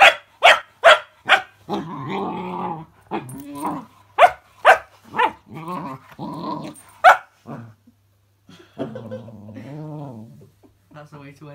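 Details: Cookie, a female puppy, faces a spinning fidget spinner toy and alternates quick sharp barks with wavering, throaty growl-whines. The growls stretch longer toward the end, broken by short pauses.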